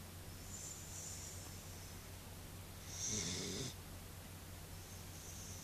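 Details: Mint, a female corgi, snoring as she sleeps: a wheezy, whistling breath near the start, then one louder rasping snore around the middle with a rattling low buzz, and faint hissy breaths after, in a quiet room.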